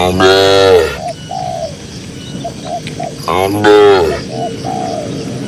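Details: Tame cattle grazing in a cool green rural pasture give two long, rich moos, each about a second, with a few seconds between them, while doves coo in short soft repeated notes behind.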